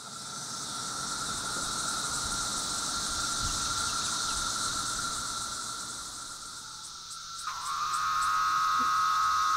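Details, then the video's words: Brood III periodical cicadas (Magicicada septendecim) at a roadside veterans memorial on Hwy 65, Grundy County, Missouri, on 20 May 2014, fill the air with a steady droning chorus, a continuous mid-pitched whine over a hissing wash. "Roadside flag with Brood III cicada sounds"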